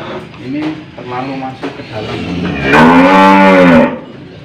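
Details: An old, tough cow has a nose rope fitted in Indonesia and gives a long, loud, harmonic moo near the end, after shorter low grunts and handling noises.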